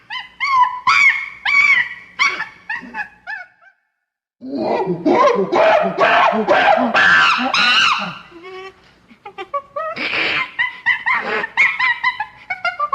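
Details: Chimpanzee (Pan troglodytes), scream.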